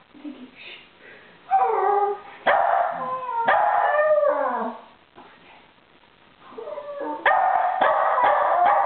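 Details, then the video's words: Pair of West Highland White Terriers singing a howling duet while a third adds barks; sliding, wavering howls rise and fall between bursts of barking, with a quiet lull midway. "Westie Duet"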